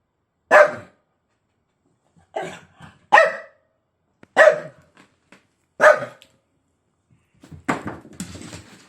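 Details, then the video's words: Dog barks at its bone with five short, loud barks at uneven intervals, some doubled, followed by a burst of scraping, rustling noise at the end. "bellt seinen Knochen an Dog barks at his bone"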